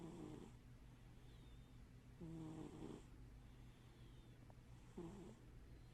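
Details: Indoor cat snoring in its sleep, one eye open; three gentle, low, buzzy snores spaced about two and a half seconds apart, each trailing into breathy noise, with a quiet steady hum underneath.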